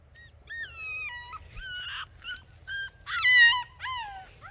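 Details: Alaskan Malamute puppies at a fence, a run of high, whining, howl-like cries with sliding and falling pitch, in separate bursts of about half a second to a second, some overlapping, over a quiet background.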